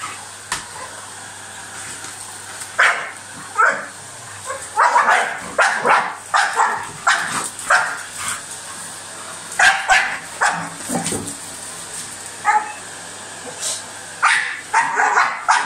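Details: A dog attacks a hoover with clustered, rasping barks that come in quick runs and then pause, while the vacuum cleaner's constant drone and low hum carry on underneath.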